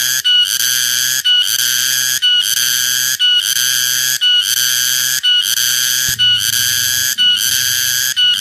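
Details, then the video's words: Cicada (tonggeret/keriang) producing harsh, high, buzzing bursts that start abruptly. The bursts are separated by short breaks and repeat at an even pace of about one per second, with a low background hum throughout. "Suara tonggeret/ garengpung/ keriang"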